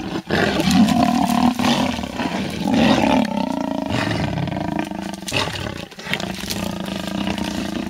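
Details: Three wild lionesses of the Styx pride fight in a tree over a bushbuck kill a leopard hoisted, at MalaMala Game Reserve bordering Kruger National Park, South Africa; dense, continuous harmonic snarling and growling with overlapping voices, rough and loud throughout.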